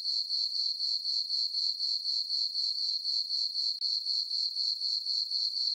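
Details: A bright, high-pitched, evenly pulsed chirping from crickets in a meadow on a farm on a full-moon summer night, about four beats a second with a momentary drop near the end.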